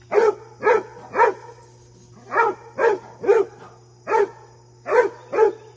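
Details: Basset Hound at play with deer gives a run of ten loud, gruff barks in uneven clusters of two and three, fairly evenly spaced, with a steady low electrical-like hum underneath.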